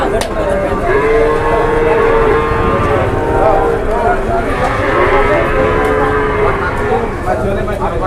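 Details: Cattle at a cattle market, giving long, steady, drawn-out lows, one stretching from about one to three seconds and another from five to seven, over a dense background murmur of a busy crowd.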